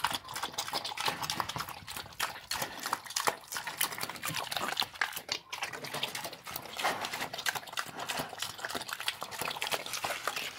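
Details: Pig eating slop: a steady stream of wet slurping, smacking and squelching, with dense rapid clicks of chewing and liquid sloshing throughout, no pauses.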